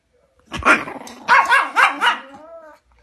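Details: Angry Chihuahua barking: a sharp yap followed by a quick run of three shrill, harsh barks, trailing off into a short whiny growl.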